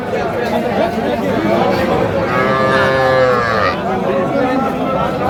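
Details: Sahiwal bull calves at Raniganj cattle market, Sylhet, Bangladesh, 6 March 2025: a drawn-out harmonic moo swells and fades over about a second amid steady crowd chatter and bargaining voices.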